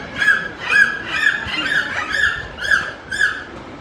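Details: Four captive dolphins at a Florida marine park show perform a "song" made through their blowholes: a run of bright, nasal squeals, each a short rising-and-falling burst about twice a second.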